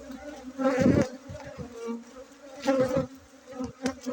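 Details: Honey bees at a bee-keeping site in Bener Meriah, Aceh, buzzing during a honey harvest on 7 August 2023. Loud droning buzzes swell and fade as bees pass close, with strong surges near one and three seconds over a steady hum.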